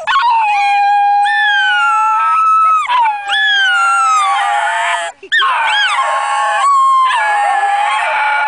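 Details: Two basenjis at a picnic in Perth, Australia, sing along to an ice-cream van's tune, yodelling in long, wavering, sliding tones that rise and fall with brief breaks.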